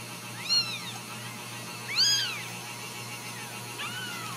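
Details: Ragdoll kittens raised cage-free in a home cattery in central Kansas; three high, arching kitten meows with bright harmonics near the half-second, two-second and near-four-second marks, the final one softer, over a steady faint hum.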